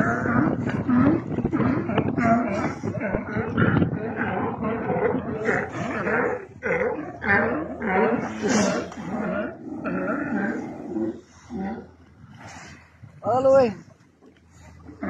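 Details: Sea lions at Isla Alcatraz, Bahía de Kino, Sonora, Mexico, barking in a dense overlapping chorus of rough, harmonic honks, several animals calling at once, easing off toward the end where one clear rising bark stands out.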